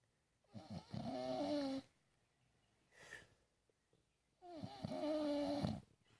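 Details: An English bulldog snoring while asleep indoors: two long, harsh, rattling snores about four seconds apart, each lasting over a second with a throaty, tonal buzz, and a brief softer breath between them.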